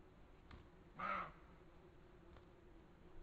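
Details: A roe deer gives a single hoarse, harsh bark lasting about a third of a second over a steady low hiss, recorded by a camera trap at a water fountain in Valles del Cerrato, Spain, in August 2023.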